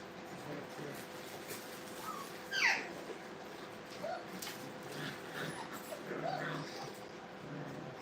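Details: Brittany puppies playing hard together in a dog training kennel: one sharp, high, rising yelp stands out, surrounded by scattered soft whimpers and squeaks over a steady low hum.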